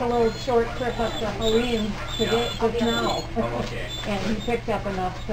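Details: Newborn Clumber Spaniel pups during their first hours and first feeding, giving a steady run of short, wavering whines about twice a second, with a faint electrical hum beneath.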